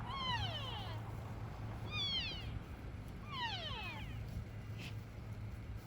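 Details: At Oak Creek Wildlife Refuge, where elk are fed, a cow elk gives nasal, descending mewing calls every couple of seconds, apparently looking for her calf, with bulls nearby.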